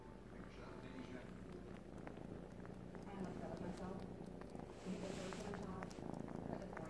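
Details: Young male Siamese kitten, three months old, sucks a blanket as though nursing; a continuous low purr rumbles throughout, punctuated by quick wet suckling clicks and a brief murmur of voices nearby.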